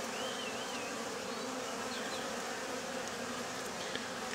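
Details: Steady droning hum of bees around a travel case entrance as workers return with pollen, many wings buzzing together continuously, with a few faint higher wavering tones above the drone.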